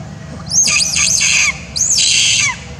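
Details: An orphaned young monkey, persecuted by other monkeys in its troop, gives two shrill, wavering screams calling for its mother in distress.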